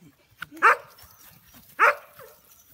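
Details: American Bully puppies, young and not yet named, giving two sharp, high yapping barks about one second apart, with quiet background between.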